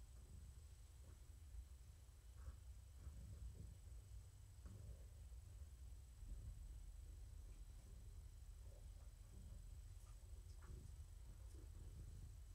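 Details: Morticia, a female pet cat found at the door of a Purrfect Pals volunteer, purring indoors in the evening while being petted; a steady low rumble runs throughout, with soft scattered taps and rustles above it.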